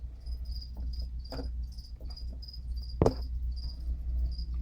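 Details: Crickets going nuts in the background of a room where spiders are kept: thin, high chirps repeated roughly twice a second over a steady low hum, with one brief clunk of handling.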